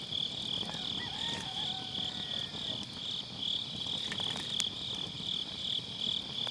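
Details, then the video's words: Autumn-night grass insects keep up a continuous shrill pulsing trill, evenly repeated, while a campfire in a round fire pit crackles softly and a faint thin whistle slides briefly in the background; MKE600 microphone, low cut. "가을밤 풀벌레 소리"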